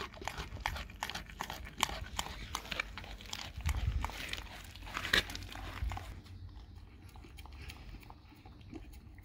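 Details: Dog eating a raw cow tongue indoors, dense wet crunching and biting clicks in quick irregular bursts, growing sparser and quieter toward the end.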